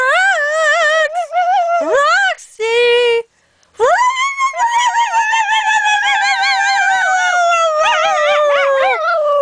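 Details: Sweety the singing pup howls in drawn-out notes: a short rising yelp and a flat held tone, then one long sustained howl that slowly sinks in pitch and ends in a vibrato-like quaver.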